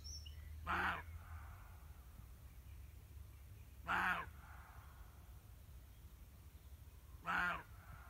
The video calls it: Roe deer barking.